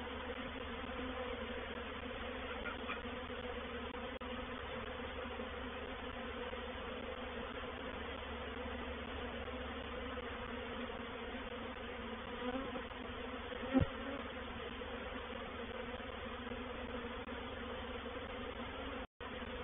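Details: At Painted Peacock Manor on 04/07/21 a honey bee reproductive swarm settles into a bait hive; a steady, softer humming drone with banded low tones, one brief tap near the end.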